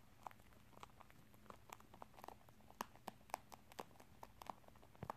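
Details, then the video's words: Pet rabbit named Tosil eating corn and rice snacks indoors, a favourite treat given only in small amounts; sharp dry crunches come in quick irregular bursts against a faint steady room hum. "토끼의 옥수수&쌀과자 먹는 소리/The sound of Rabbit eat Corn&Rice snacks"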